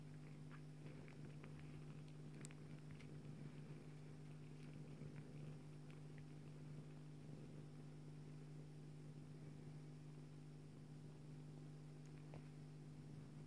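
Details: Joye, a Bengal mother cat, nurses her kitten daughter Leeloo while a steady, low, buzzing purr runs throughout, with scattered light clicks and small rustling taps.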